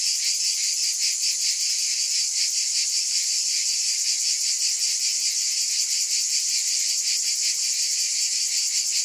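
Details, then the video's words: Cicadas droning in a loud high-pitched chorus, the buzz beating in fast regular pulses, steady throughout with no other sounds. "Scintillating Cicadas"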